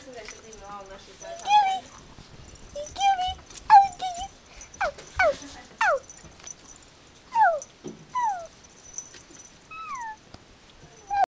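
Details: Several Yorkie puppies from a Michigan breeder at play, uttering thin whimpers and sharp downward-sliding yips, roughly one every two seconds, irregularly spaced, over a faint constant high hum.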